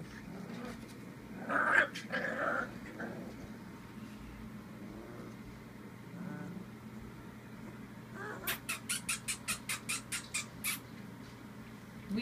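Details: A Bull Terrier pup having fun and barking at the camera gives a few short, tonal barking yelps, then a quick burst of sharp pulses.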